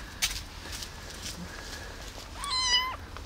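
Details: Abandoned baby kitten, rescued from a box left on the street, gives a single high meow near the end, a clear harmonic cry that rises slightly and then holds. Before it, faint background noise and a soft click.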